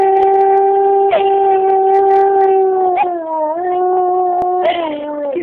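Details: Two pet dogs howling together, their singing loud: a sustained, steady, harmonic howl held for several seconds, briefly dipping and sliding in pitch before settling again, with faint yips layered on top.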